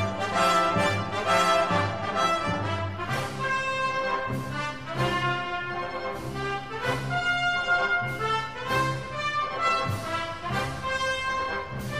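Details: Orchestral brass music plays throughout, with horns and trombones and no animal sound.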